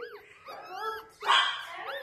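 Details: Sliding whimpers and a sharp yelping bark from a chocolate Yorkshire Terrier, one of two male dogs born April 7, 2018, heard indoors at close range.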